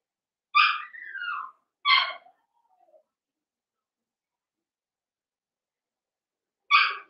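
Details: Cavalier King Charles Spaniel puppies, a Blenheim litter of five born around New Year's, in a home pen; a yelp sliding into a falling whine, a second yelp, then quiet before one more.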